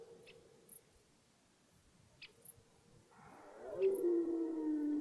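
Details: Red deer at the start of the rut in a forest, roaring; after a quiet stretch with faint clicks, a loud harmonic, drawn-out roar rises in the second half and slowly falls in pitch.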